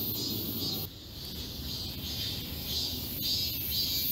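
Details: Cicadas singing together in the forest of Galsan Park, Yangcheon-gu, Seoul, in high summer. Dense, steady high buzzing with a gently pulsing rhythm, broken by a short dip near one second, over low rumbling background noise.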